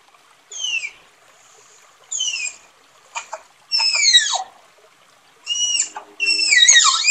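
A tapir gives shrill, descending whistled squeals in short bursts, some with rough, buzzy edges.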